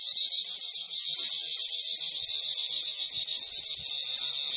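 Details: A cricket's shrill, buzzing trill runs without a break, high and even in loudness throughout, over a faint low rumble.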